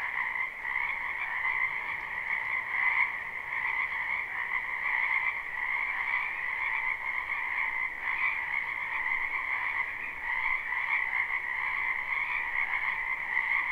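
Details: Chorus of many frogs calling in a wetland behind a house in spring, a live unlooped recording; dense, continuous overlapping croaking in two steady bands, mid and high, with gentle swells and no other clear sounds.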